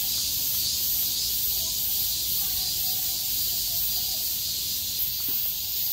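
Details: Many cicadas sing together on 6 August 2020, after heavy rain stopped and the sky cleared, in a steady, high, hissing buzz that never lets up.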